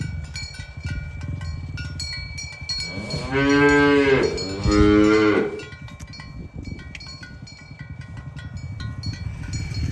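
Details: Tame cows herded toward their pen on a village road in the morning give two loud, droning moos in quick succession, each about a second long. A low rumble of hooves and movement runs underneath, with cowbells jingling around them.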